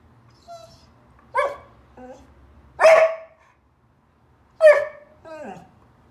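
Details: Border Collie named Finn on his fourth birthday, overwhelmed by his gift; several loud, harmonic barks and whines spaced about a second apart, some sliding downward, with a few quiet human words beforehand.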